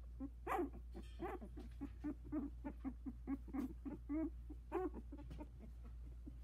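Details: Four 16-day-old Havanese puppies, some with eyes barely open, trying their legs in a whelping box; a busy run of squeaky yelps and whines, several sharp bursts rising and falling, steady low hum beneath.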